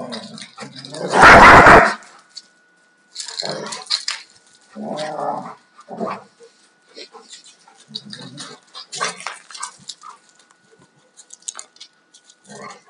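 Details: A 2-year-old male and a 4.5-year-old female Alaskan Malamute in rough fight-play; a loud harsh burst opens, then shorter growling grumbles follow at intervals amid scuffling sounds.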